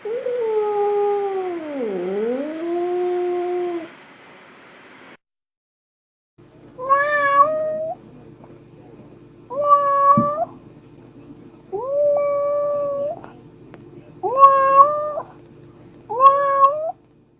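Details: Domestic cat giving a long wavering meow that dips low and rises, then after a pause five shorter meows at steady intervals, each rising and falling, over a faint steady hum.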